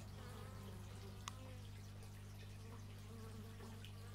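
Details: Short stereo x/y microphone recording of bees, a constant deep drone with wavering higher buzz traces from passing insects and one sharp tick midway.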